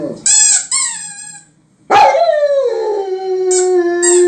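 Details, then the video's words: Male German Shepherd kept as a pet, howling along to a squeaky toy: sharp toy squeaks first, a pause, then a howl that starts high, slides down and holds a long steady tone while squeaking returns near the end. "German Shepherd howling"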